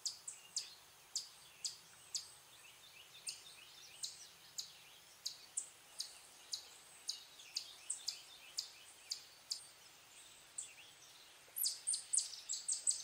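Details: Eastern chipmunk giving alarm or warning calls in the wild: sharp, high chips repeated about twice a second, fairly uneven in timing, with a faster cluster near the end, over a quiet background hiss.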